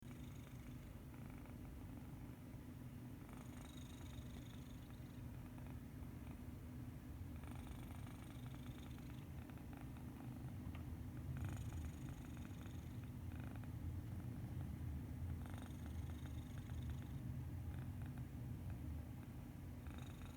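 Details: Medi Cat, a pet cat sleeping very peacefully, snores with a steady low rumble, while soft breathy hisses return roughly every four seconds across twenty seconds of quiet room.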